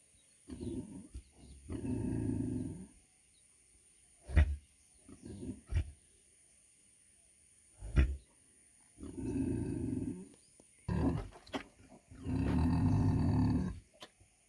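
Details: A 100 kg female pig gives deep, rough grunts in bursts of a second or two, with pauses between.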